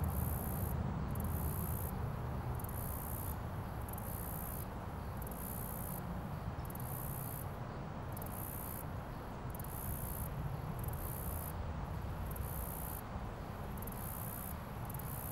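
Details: Close-up recording of a cricket in its natural surroundings, sitting on a leaf: a steady sequence of piercing, high-pitched pulsed chirps, about a dozen bursts at a fairly even pace, against constant low-frequency rumble.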